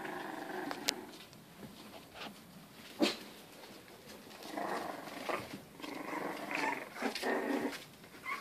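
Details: Rough-playing English Bulldog puppies kept as house pets in lower Western Michigan give low, grumbling growls with scattered yips and scuffling noises indoors, as a person scolds them.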